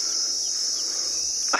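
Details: Cicadas calling in the bush of a South African private game reserve on a morning safari drive, 18 December 2020: a steady, unbroken, high-pitched whine that holds even throughout, with a brief click near the end.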